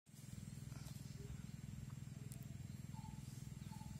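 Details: Wild boars disturbed while sleeping by Komodo dragons give deep, rapid, rumbling grunts in a steady, throbbing run.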